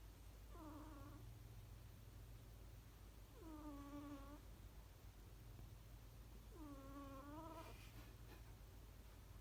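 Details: A sleeping cat snoring comfortably, three drawn-out, slightly curved tonal breaths with bright harmonics, about three seconds apart, over a steady low indoor hum.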